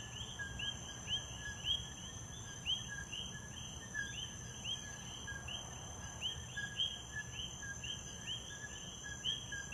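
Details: Common coqui frogs (Eleutherodactylus coqui) in Puerto Rico repeat their two-note 'co-qui' call, a short low note followed by a higher rising chirp.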